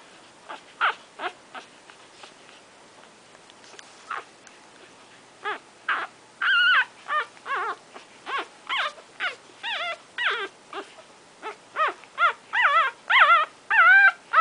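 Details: One-week-old Shorkie Tzu puppies nursing: a run of high, tonal whimpers and squeals, wavering and sliding in pitch, coming in quick irregular bursts that grow denser and louder toward the end.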